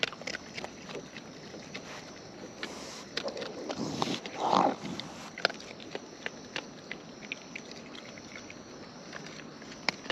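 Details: Close-up recording of wild raccoons feeding outdoors, with soft wet clicks and chomps of chewing spread across the clip, a short low grunt near the middle, and a constant background of insect chirring.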